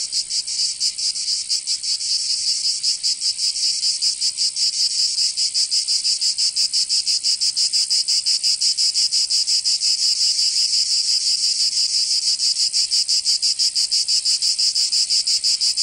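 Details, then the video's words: Summer chorus of cicadas from Provence in the south of France, a dense high-pitched buzzing that throbs in rapid regular pulses, growing slightly stronger midway and holding steady throughout. "Canto Cigarra 🦗 [ Escuchar les cigarras en verano 10 H]"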